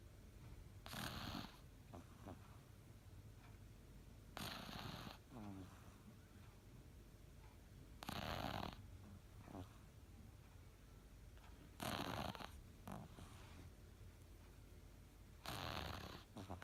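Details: Cavalier King Charles Spaniel named El snoring while taking an afternoon nap; broad breathy snores recur about every three to four seconds, with quieter soft breaths between them.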